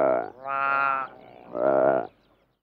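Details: Close calls from a female saiga antelope and her calf, recorded with a herd in the distance and larks: three nasal, richly harmonic bleats, the middle one longest and steady, each ending abruptly.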